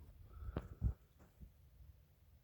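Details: A sleeping baby donkey snoring, a sound said to resemble a donkey in trouble: two short, deep rumbling snorts around the half-second and one-second marks, then faint low breathing over a steady low hum.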